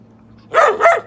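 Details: A Euro Doberman male barking on command without a treat: two quick, sharp barks in rapid succession, with a man's voice giving praise around them.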